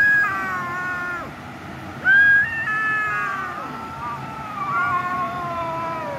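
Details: Cat meowing loudly in a series of long, drawn-out meows, each sliding down in pitch, with a strong sudden one starting after two seconds and a final slow falling wail.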